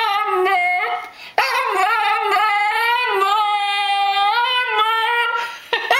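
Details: Tibetan Terrier named Frida indoors, singing to ask for food: a long sustained howl-like whine with rich harmonics, pitch wavering and gently rising, broken by a brief dip before resuming steadily.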